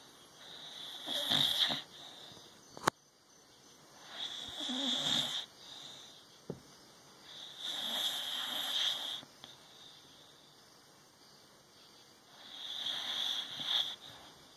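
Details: Olde English Bulldogge asleep and dreaming after a long day: loud, breathy snores arriving roughly every three to four seconds, each a rasping broadband rush with a brief click between.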